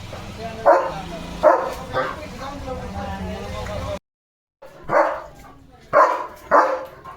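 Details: Leo, a German Shepherd, barks at cattle and goats heading to the fields. Three sharp barks within two seconds, a pause, a brief silence, then three more barks, with people talking in the background.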